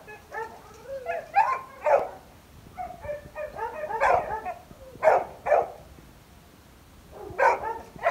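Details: Labrador Retriever barks in short bursts of sharp yaps with brief pauses between groups.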